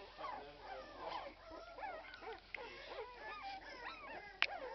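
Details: Twelve-day-old Irish Red and White Setter puppies, several together, give a dense chorus of high, squeaky whimpers and yelps, overlapping rising and falling whines with a sharp click near the end.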